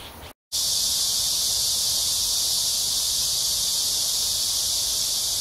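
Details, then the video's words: Summer cicadas in early evening, July 26, 2021, in Amsa Ecological Park along the Han River, Seoul, South Korea: after a brief gap near the start, a loud, continuous, high-pitched sizzling buzz fills the air. "Cicada sounds/매미소리 가득한 암사생태공원 해질녁 산책"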